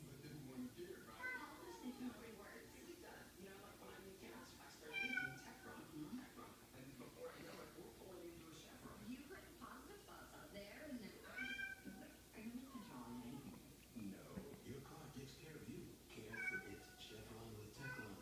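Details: Several cats meowing, said to want to gather the pack: overlapping, wavering meows rise and fall throughout, with a few louder, sharper cries near five and eleven seconds, over a steady low hum and murmuring voices.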